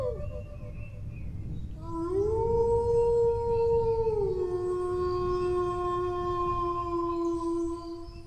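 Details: Dog howling in a long sustained tone that rises sharply near two seconds, holds steady, then steps down to a lower held pitch for several seconds, with rich harmonics and a steady low rumble beneath.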